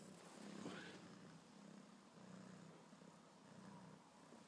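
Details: Ginger kitten, a pet that fetches its favourite soft toy like a dog, purring softly in a low, steady, rumbling pulse that keeps going throughout, quiet and close, over faint room hiss.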